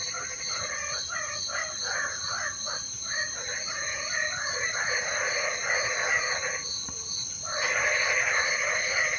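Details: Frogs calling in the rain: dense bursts of pulsed, croaking notes repeating rapidly and overlapping. A steady high insect-like whine runs throughout, and the calls swell louder near the end.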